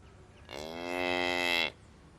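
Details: Cows grazing on a meadow pasture with calves; a single steady, rich, droning moo lasting just over a second, strongly harmonic and level in pitch, over faint background noise.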